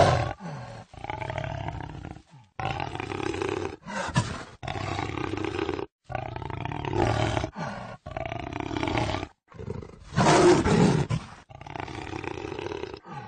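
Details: Series of rasping, guttural jaguar roars, each burst about a second long and separated by short gaps, repeated steadily for over thirteen seconds with one louder roar near the tenth second.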